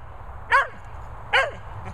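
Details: A playing cocker and Vizsla pair; two crisp, high barks about a second apart, each ending in a short falling whine, over a faint steady hum.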